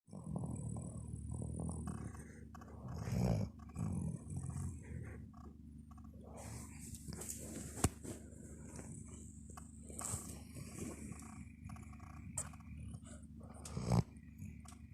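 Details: A domestic dog snoring indoors: a deep, rumbling, continuous drone with louder irregular snorts and breathy bursts throughout, in a quiet small room.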